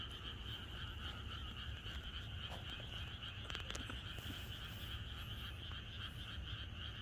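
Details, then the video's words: A rural Korean night before rain brings a massed frog chorus, overlapping croaks blending into a constant buzzing band, a few sharp clicks near the middle and a low rumble below. "개구리들의합창#비가 오려나?이것이 자연의 소리 ~개구리들의 합창"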